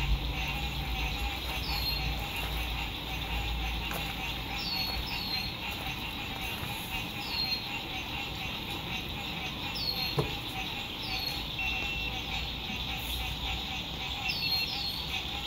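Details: Frogs singing at sunset beside a lake at a spring 2021 RV campsite in fine weather: a dense, steady trilling chorus, with short falling whistles every few seconds and a low road rumble beneath.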